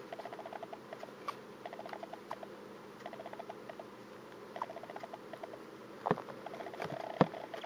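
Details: Pet hamster with a cold sneezing indoors, the sneezes sounding like a soft 'kyu' or 'pu'. Quiet irregular patter and rustling run throughout, broken by two sharper bursts close together near the end.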